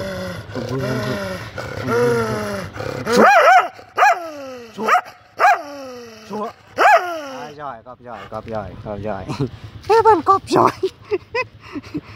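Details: Phu Quoc Ridgeback dogs, one big and one small, giving a run of high whining yelps that each fall sharply in pitch, repeated every second or so, with shorter sharp yips near the end and some background voices.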